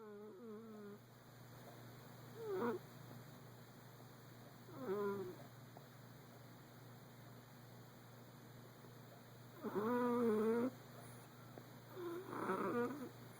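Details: Persian cat named Stewie, sleeping and dreaming, gives short moaning, warbling sounds with wavering pitch, four separate bursts spaced a few seconds apart over a steady low background hum.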